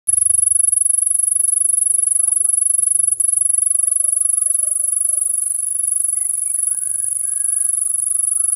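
A cricket gives a steady, very high-pitched ringing trill that continues without a break.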